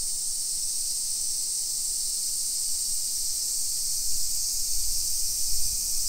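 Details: Summer cicadas in a hillside residential area of Nisshin, Aichi Prefecture, Japan, early afternoon on 28 July 2021. A constant piercing high drone dominates, while soft low thuds, likely footsteps, appear in the final two seconds.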